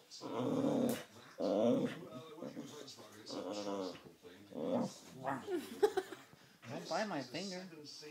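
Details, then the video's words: Playing tug-of-war, Baxter the Boxer produces several separate growling bursts, each about a second long, rough and tonal with squeaky upward-bending high notes toward the end, alongside a person's voice in a small room. "Baxter the Boxer making funny noises in tug-o-war"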